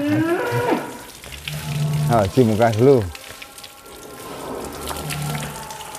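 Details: Angus bull Real Douglass, named Indonesia's biggest, being bathed in his pen; a short moo opens, then a loud wavering bellow rises and quavers near the middle before dying away into splashing and quiet murmur.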